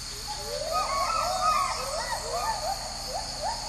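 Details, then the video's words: Agile gibbons in the high canopy of Sumatra's Harapan rainforest give the great call around 5 a.m., a female-led duet with a male of rapid, swooping whoops that rise and fall over a steady insect drone. "Indonesia: Gibbons sing "great call" in Sumatran rainforest"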